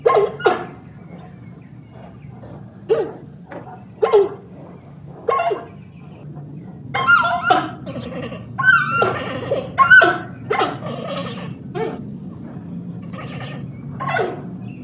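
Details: Giant panda producing repeated short squeaks, yelps and chirps, sparse at first, then denser clusters of higher, sharper squeals, over a faint steady hum.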